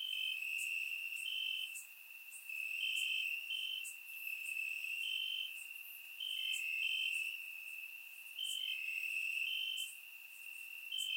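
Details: Grass crickets at night in summer, Bulgaria, surround-mic recording: an unbroken high trill layered with rapid higher chirps and occasional lower short notes from another caller, loudness rising and falling in slow waves.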